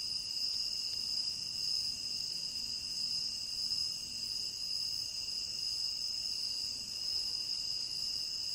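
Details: Tropical rain forest crickets keep up an unbroken, shimmering high-pitched trill in layered bands, with faint low background noise underneath throughout.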